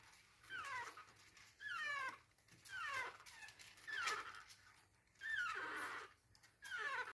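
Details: ['Chihuahua puppy whining while trying to get into bed, indoors: high drawn-out whines sliding downward, about six of them, each lasting around a second and spaced roughly a second apart.']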